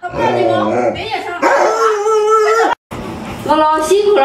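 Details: Pet Alaskan Malamute named Luoluo, startled by its masked owner, voices drawn-out, wavering moans that hold a steady pitch for over a second, broken by a brief silence before a shorter rising cry; people talk alongside.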